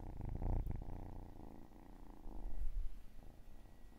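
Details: Low rumbling cat purr, loudest in the first second, then fading and swelling again, steady pulsing texture with no other clear sounds.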